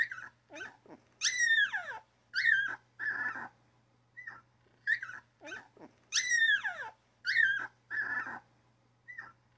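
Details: High whining cries from a newborn puppy, sweeping down in pitch, mixed with shorter yaps and squeaks in a repeating run, over a faint low hum.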